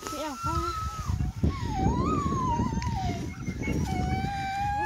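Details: First meeting of Greenland Dog puppies with puppies besides Siumut, 5/6/17: a long, sustained whine wavers up and down steadily over several seconds after a few short yips, over dense low rumbling noise.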